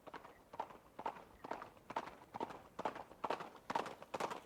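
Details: A horse running: sharp, regular hoof strikes land a little over twice a second, crisp clip-clop beats clearly spaced, with a faint rumble between them.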